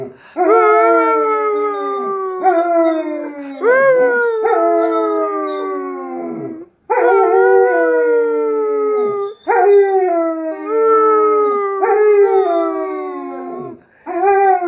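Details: German Shepherd singing for its owner: a series of long, wavering, harmonic howls, each lasting about one and a half to two and a half seconds, some bending upward then sliding down, repeated with brief breaths between.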